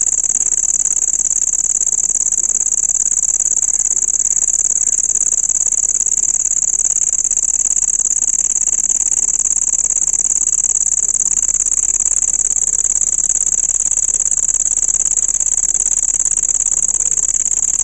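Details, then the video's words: Cricket giving a loud, continuous, high-pitched ringing trill that holds one steady tone for the whole recording without pause, with faint low background noise underneath. "dangerous sound of cricket insect"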